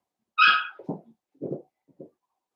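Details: Blenheim Cavalier King Charles Spaniel puppies, one of a litter of five born at New Year's, in an indoor puppy pen on pick-up day; a single loud, high harmonic yelp falls away, then three short low grunting huffs follow in a quiet room.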